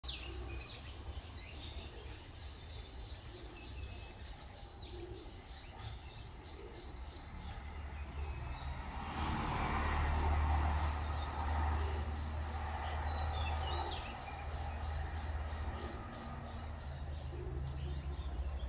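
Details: Orphaned baby squirrel, found crying by a road without its mother and kept in a cage, giving thin, high arched squeaks repeated about four times a second over a steady low rumble, with other birds chirping behind.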